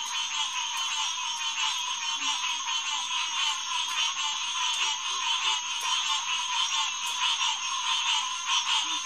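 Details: Hyla cinerea, green tree frogs, calling in a massed June night chorus at the SMNWR Headquarters Pond, 2021; continuous overlapping nasal notes form a steady, rhythmically pulsing din with faint low grunts.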